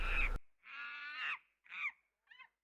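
A monkey gives a harsh, nasal call, then two shorter, fading cries.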